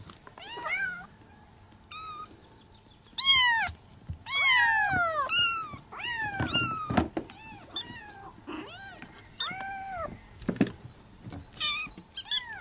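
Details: Several Persian kittens calling for their mother: overlapping bright meows, some long and sliding downward, others short chirps, coming rapidly and unevenly, with soft thuds and room noise.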